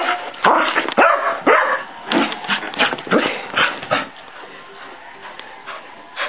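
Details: Hyperactive female dog barking while bouncing off the walls and running around the house; rapid, irregular burst of loud sharp barks over the first four seconds, then quieter thumping and scuffling, with a final bark at the end.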